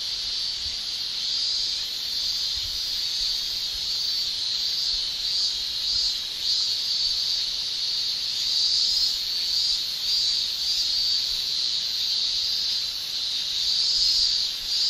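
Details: Japanese summer chorus of male cicadas singing with their tymbals: a continuous shrill, high buzz that swells slightly in strength in the second half, with no other voices heard.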